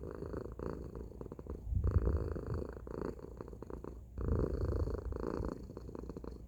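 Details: Deep, loud purring from Tacy the domestic cat. Quieter rasping stretches alternate with stronger, lower rumbling bursts, each lasting about one to two seconds, as the cat breathes in and out.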